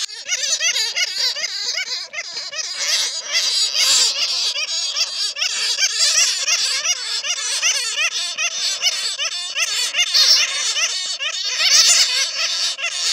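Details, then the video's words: Bats caught in a net give a lure sound for attracting more bats: a continuous squabbling chorus of shrill, warbling squeaks and chatters from many overlapping callers, steady throughout with no other sounds. "SUARA PIKAT KELELAWAR JERNIH"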